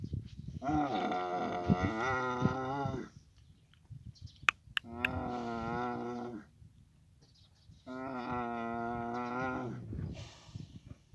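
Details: Camel bellowing in Abu Dhabi in the mating season. Three long, buzzy, harmonic groans of two to three seconds each are separated by pauses of about one second, with a couple of sharp clicks between the first and second.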